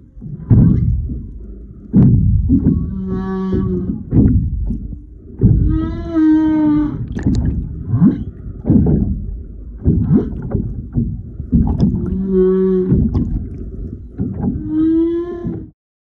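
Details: A mother and baby humpback whale passing close by in February 2022 give a series of low, harmonic moans and rising tonal cries over a steady underwater rumble.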